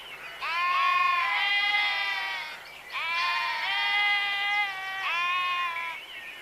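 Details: Three long, loud sheep bleats of about two seconds each, separated by brief gaps. Each is quavering and nasal, with the voices slightly overlapping.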